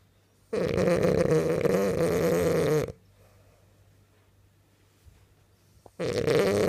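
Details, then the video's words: Dreaming French bulldog asleep, one long rasping, buzzy snore of over two seconds, a quiet gap, then another loud snore starting. "French bulldog snoring and dreaming"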